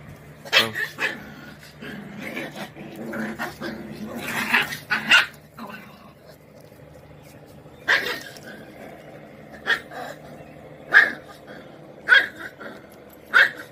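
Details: A Kombai puppy, an Indian breed, barks angrily: sharp, high barks in bursts with low growling between them. Finding: Kombai dog.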